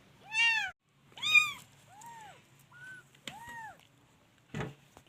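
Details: Kittens giving short, arched mews at irregular intervals, some loud and bright, others faint and thin, over a low background hum with a few clicks and knocks.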